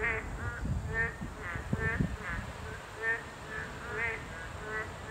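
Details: Boreal digging frogs (Kaloula borealis), a class-2 protected species, at a habitat site give nasal, bleating calls in quick alternation, several voices answering one another.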